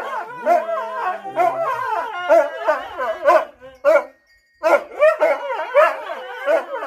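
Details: Husky singing in a continuous chain of wavering, yodel-like howls with bending pitch, broken by one short silence before resuming in the same varied pattern.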